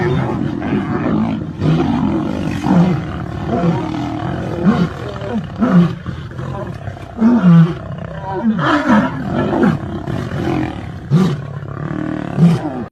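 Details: Lion that has entered another lion's territory, deep roaring grunts in uneven bursts, each a short low moan repeated every second or so, over a steady rumbling background.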